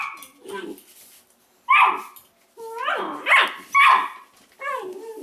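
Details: Several Weimaraner pups from the Indigo and Magnum litter chewing on tails; high, squeaky yips and whining barks that slide upward, arriving in clustered bursts around quiet gaps.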